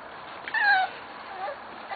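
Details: Young Corgi from Cat and Sugarbaby's litters, 21 November 2013: one clear thin whine that falls gently in pitch over about a third of a second, followed by a softer, shorter falling squeak and a click at the end.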